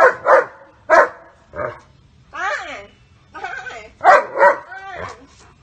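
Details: German Shepherd guarding his owner from being hit, barking at the attacker: a few loud paired barks separated by pauses, with overlapping human speech throughout.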